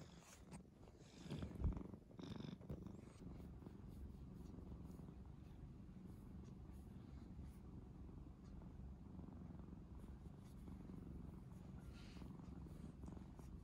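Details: Calm, mild-natured domestic cat, the family's second male cat, rescued as a kitten in late spring 2015, with a faint, continuous low purr running throughout after a brief louder rustle early on.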